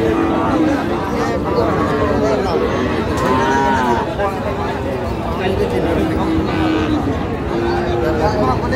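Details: Young bulls at Raniganj cattle market in Dinajpur: several faint, short moos scattered through a dense background of people talking and market noise.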